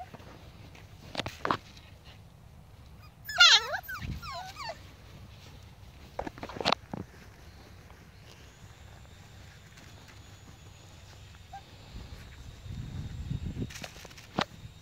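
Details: Five-week-old Husky and Pomsky puppies at play give one short, high, wavering squeal. Scattered knocks and rustling follow, with a faint steady hum in the background.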